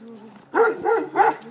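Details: Three sharp, rising-and-falling barks from Nelson, a young Bernese Mountain Dog aged six months who is scared of another dog, preceded by a soft low hum and brief Polish talk.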